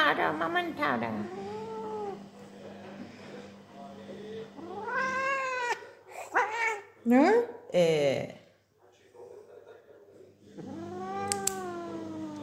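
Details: Pet cat at home meowing in long, bending wails, with several drawn-out cries mixed with a woman talking in Persian and brief music.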